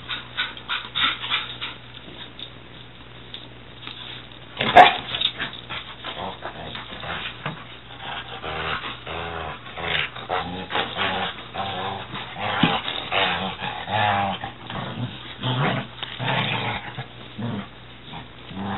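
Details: A 6-month-old Weimaraner and a 6-year-old Catahoula playing wildly indoors: continuous scuffling, panting, whines and low growly grumbles, one sharp yip, no steady barking.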